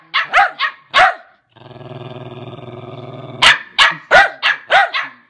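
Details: Lakeland Terrier giving a few rapid sharp barks, then a steady low throaty growl of about two seconds, followed by another quick run of loud barks.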